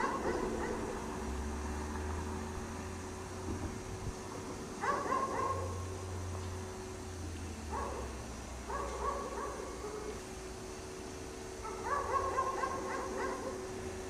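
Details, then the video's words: Dog left chained outside in the snow all day, giving repeated runs of rapid barks separated by pauses of a few seconds, while a low engine-like drone rises and falls underneath. "Dog Barks all day in the snow"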